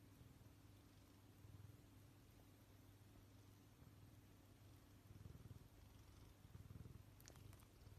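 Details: Persian cat. A Persian cat purrs close up, a deep, continuous vibrating rumble with gentle rhythmic pulses. No meowing is heard; only a faint click or two breaks the steady purr near the end.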